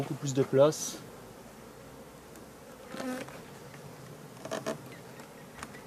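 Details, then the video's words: Laying worker honey bees of a drone-laying hive, shaken off their frames away from the apiary: brief loud buzzing passes, one early and stronger, another near three seconds, then a fainter one, over a quiet background hum. "Ruche bourdonneuse"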